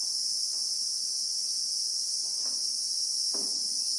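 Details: South African bushveld recording of a Christmas beetle (Anoplognathus), real time: a steady, piercing high-pitched hum runs without pause, with two or three soft lower taps in the background.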